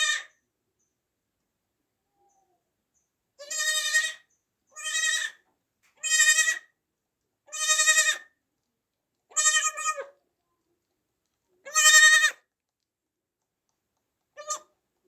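A newborn goat kid bleats in a high, quavering voice, each cry under a second long. The bleats come in an uneven series with short silent gaps between them, and no other sounds intrude.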